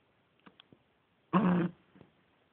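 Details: Sleeping nine-week-old Beagle puppy snoring loudly indoors: faint soft snuffles, then one harsh, rasping snore lasting about a third of a second, followed by a quieter breath.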